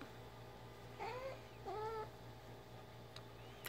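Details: Two soft, brief rising-falling mews from Ginger, a house cat fetching her favourite toy, spaced under a second apart, quiet against a hissy background with a low hum and a faint click near the end.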